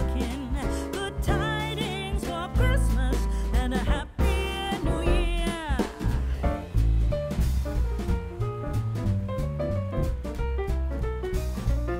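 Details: Jazz arrangement of a Christmas tune with singing, piano and a steady drum kit throughout; no animal sound is heard.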